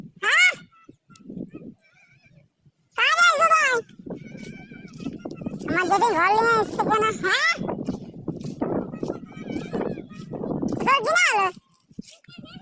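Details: Goats out with their herder give several arching, quavering bleats spread through the stretch, over a steady background of human voices and chatter.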